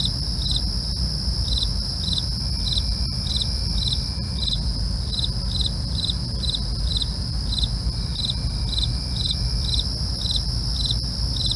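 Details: Nighttime crickets keep up regular brief chirps, roughly two each second, layered over a continuous high whining trill, with a steady deep background rumble and a few faint clicks.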